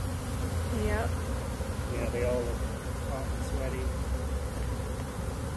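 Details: Overheated bees escaping en masse from a box they were trapped in, honeycomb strewn about; a dense, continuous low buzzing drone, with a person exclaiming over it.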